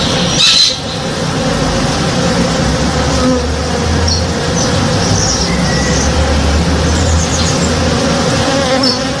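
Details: Honey bees at work one morning in a flowering backyard tree; a continuous swarm hum with a deeper, louder drone from a bee passing close mid-clip, plus a brief sharp click near the start and faint chirps.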